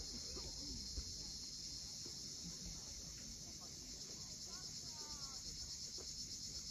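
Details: Constant shrill buzz of cicadas at sunset above the sea at Cape Fiolent, Crimea, over soft wave wash; a few short chirping bird notes break through midway.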